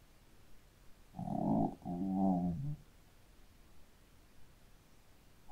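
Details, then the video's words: Shih Tzu dog sleeping and snoring, two short low rumbling snores back to back over about one and a half seconds, then quiet. "Hund schnarcht 🐶 Shih Tzu schläft und schnarcht"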